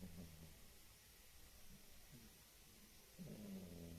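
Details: Gigi, a female house cat, snoring during sleep like an old man: low, droning hum with stacked harmonics, steady through the clip and swelling into a louder rasping breath near the end, in a quiet room.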